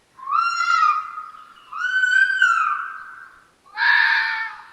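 A red fox vixen gives three harsh, drawn-out screams about a second long each, eerily human-like, with a rougher, noisier final cry.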